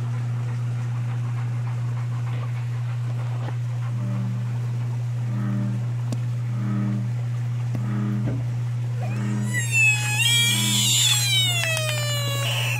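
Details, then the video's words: American bullfrogs: six short, low, evenly spaced pulses, then a loud, quavering scream with rich harmonics that rises and falls over the last three seconds, all over a steady low-pitched hum. "Screaming bullfrogs"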